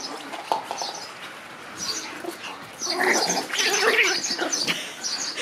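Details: Black Shiba Inu puppy born on 27 February; high, breathy whines and yelps, soft at first, then louder and more continuous in the second half.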